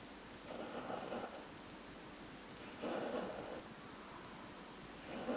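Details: Sleeping whippet puppy, female, snoring and twitching her legs: three drawn-out raspy breaths spaced about two seconds apart, with a quiet room hiss between them.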